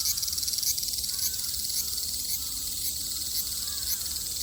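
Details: ['Japanese summer cicadas, 2022, keep up a constant shrill buzzing drone with faint rhythmic pulses about twice a second; quiet bird chirps sound lower down.']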